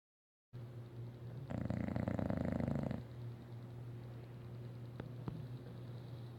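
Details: Isabelle, a pet English Bulldog, snoring loudly enough at bedtime to need earplugs. A single rough, rattling snore lasts about a second and a half, over a steady low electrical hum and quieter breathing noise.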